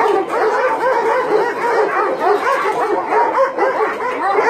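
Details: Crowded chorus of dogs at a combined dog meat farm and puppy mill in Nonsan, South Korea, winter 2017. Continuous overlapping barks and higher yelps fill the recording without letup.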